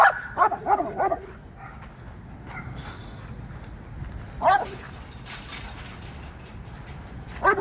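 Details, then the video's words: Dog barking while chasing squirrels, a few short high barks at the start, then scattered single barks over a noisy, rumbling background. "Chasing Squirrels"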